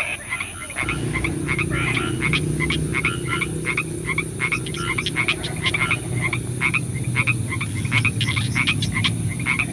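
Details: Frogs croaking in the nighttime rain: many short, clipped calls repeat in quick succession as a steady chorus, backed by a constant low, rain-like rushing noise.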